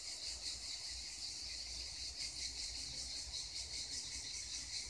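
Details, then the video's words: Chorus of cicadas near the Black Sea coast, a steady shrill buzz holding high and unbroken, lightly pulsing in waves every fraction of a second over a soft low background hum. "Cicadas singing near the Black Sea coast!"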